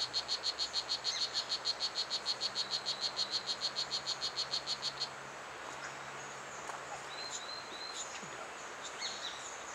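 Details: Blue Jeans, the strawberry poison dart frog, at Pierella Ecological Garden. This tiny frog, only an inch long, is the loudest of the garden's species. Regular high buzzy chirps, about three per second, run for five seconds and then stop, leaving faint bird notes and insect hum.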